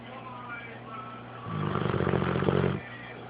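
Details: Sleeping dog snoring, a single rasping, rattling snore lasting just over a second against a steady low hum.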